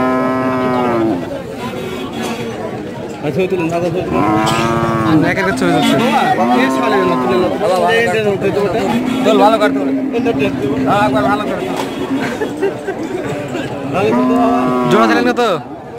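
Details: Bull cattle at a Bangladeshi cattle market, recorded 6 February 2019 during a seller interview: a series of loud, drawn-out moos with rising then falling pitch, several overlapping, with men talking nearby.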